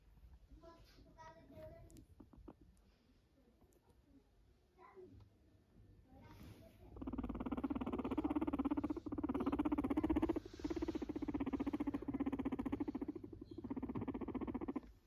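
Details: Max the guinea pig purring: after some soft rustling and faint voices, a low, steady, rapidly pulsed buzzing rumble starts and runs almost continuously for the last eight seconds, with only brief breaks.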